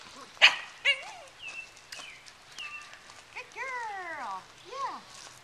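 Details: Nine-week-old Welsh Terrier puppy on a lead, excited, with its sister on a deck; sharp yelps, then high whistled whines, several sliding downward in harmonic sweeps, about a dozen bursts, ending with a brief human voice.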